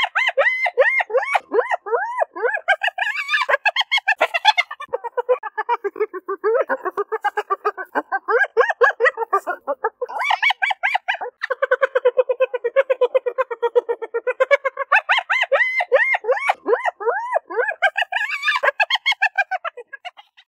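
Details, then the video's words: Spotted hyenas giggle in rapid, staccato bursts of high, yelping notes that rise and fall in pitch, a hyena laughing sound effect. "Sonido de HIENAS RIENDO"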